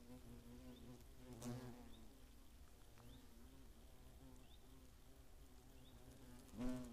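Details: Low harmonic drone of hornets around their nest, Eifel near Greimersburg, Germany, 15 August 2017; a quieter, even hum throughout, broken by brief louder fly-by buzzes near 1.5 seconds and at the very end.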